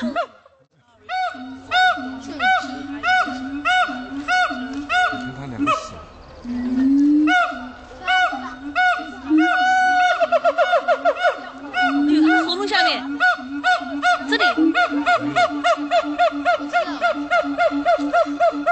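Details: A siamang at Dubbo Zoo in New South Wales howls in loud, harmonic hoots that repeat steadily and then quicken into a rapid, rising series.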